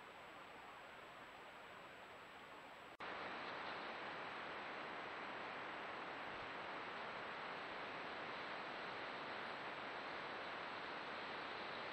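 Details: Only steady broadband hiss, growing louder after a brief break, with no animal voice. Nothing but even static fills the rest.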